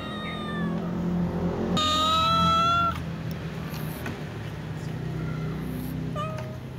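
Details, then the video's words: Ginger and brown cats asking to be fed, other cats around: a loud, strained meow lasting about a second, then softer short meows trailing off, over a steady low background drone. "tom cat, Little cat , Ginger cat , brown cat meowing asking to be fed with other cats"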